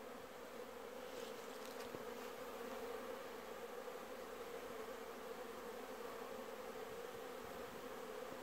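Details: Bees working raspberries on 24 December 2017 around 13:00, mild 10°C with a gentle breeze; dense unbroken buzzing drone, fairly loud and steady throughout.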